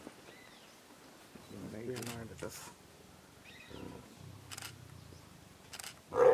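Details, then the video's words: Wild leopards mating in Ranthambhore National Park, India: two short, low, rasping growls, the first longer, with hushed human voices and camera clicks around them. "Rare Footage LEOPARD MATING"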